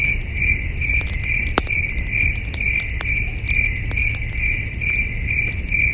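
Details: Distant crickets on a cool, starry night in the wilderness by a campfire, giving bright, evenly spaced high chirps about twice per second, joined by scattered fire crackles and a deep, steady rumble.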